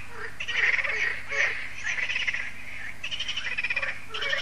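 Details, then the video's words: Frogs in their yearly concert at Lac de Sabatte, a lake in France, in the evening as solar lights come on; dense overlapping croaks with rattling pulsed bursts rising and falling in waves over steady background hum. "Froschkonzert an Crystals Lake"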